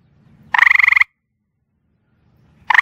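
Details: Gray tree frog calling after dark from rocks and bricks on a back porch: a loud musical trill of about a dozen rapid pulses lasting half a second, then silence before the next trill begins.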